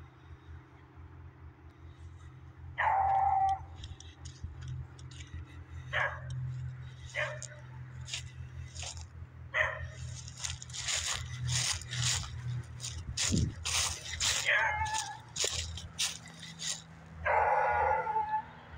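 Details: Dog barking in the woods, several drawn-out, tonal barks spaced a few seconds apart, separated by loud crunching and rustling sounds like footsteps through leaves and brush.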